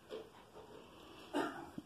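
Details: A female Siberian husky doing counting tricks gives a single short, mid-pitched bark, answering a command to count.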